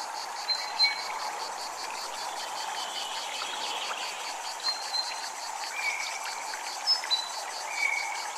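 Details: Steady fast-pulsed cicada buzz at a Japanese temple, running unbroken beneath a rushing-water backdrop, with short high whistled notes and soft chime-like touches scattered through.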